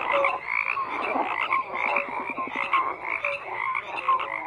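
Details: Dense chorus of frogs: a steady wall of overlapping croaks, with a quick run of clicking pulses near the middle and occasional short whistled notes rising above the mass of callers.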